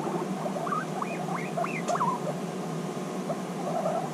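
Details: Guinea pigs reunited after six months apart and bonding intensely; a run of four or five short upward-swooping squeaks, one after another, then low chattering, with a constant motor-like hum in the room.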